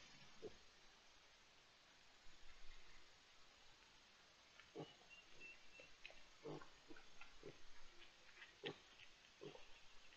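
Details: Wild boars with striped piglets, recorded 18 May 2023: short, low grunting bursts repeated irregularly, about one every second in the second half, over a steady faint background hiss.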